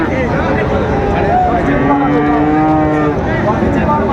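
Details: Friesian and crossbred bull calves at Raniganj market in Dinajpur, 26 July 2024; a long steady moo from about two to three seconds rises out of constant crowd noise and background music.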